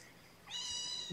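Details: Kitten during its first feeding of the day, morning of 8 May 2018, indoors while formula is given by syringe: one high, clear, tonal meow with strong stacked overtones lasting about 0.7 seconds, followed by a thump at the end.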